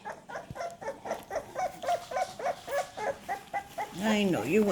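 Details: Crawling, increasingly active American Staffordshire Terrier puppies in a litter give rapid, high squeaky whimpers, ending in longer rising-and-falling whines.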